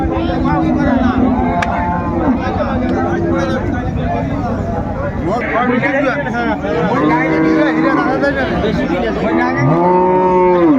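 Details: Cattle, cows with calves at Amborhat livestock market in Dinajpur, Bangladesh, on 17 January 2025: several low, drawn-out moos with arching tones rise and fall through dense, overlapping human bargaining chatter and crowd noise.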